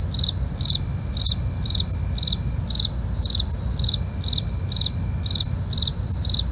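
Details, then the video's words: Night crickets sing in an even rhythm, quick high chirps repeating roughly every half second against a constant ringing trill, with soft low-pitched rumble beneath. "night crickets asmr"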